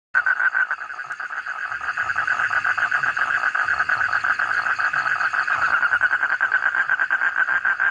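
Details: Frogs calling in a dense chorus, a continuous rapid pulsing trill with a bright tone held steadily throughout, loud and unbroken with no other clear sounds.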